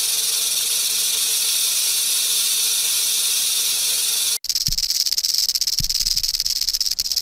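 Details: A rattlesnake sounds its rattle as a warning to predators when threatened: a steady high hissing buzz, then after a brief cut a rougher, pulsed rattle with a few low thumps underneath.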